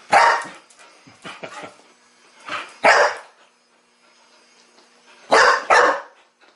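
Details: Teething Chow Chow puppy barking at a mechanical ball during first play with it. Scattered rough barks, a few soft yips between, then a loud close double bark near the end after a quiet gap.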